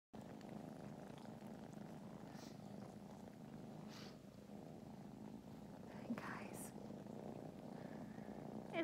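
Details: Fostered rescue kittens from a North Alabama shelter napping together in Huntsville, Alabama, purring steadily in a low continuous rumble throughout, with brief soft whispered speech and small rustles near the end.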